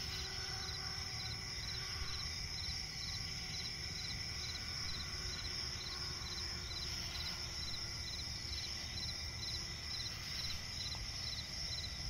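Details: Crickets in a night swamp forest, a shimmering high continuous trill with short chirps repeated roughly twice per second, over a low steady background rumble.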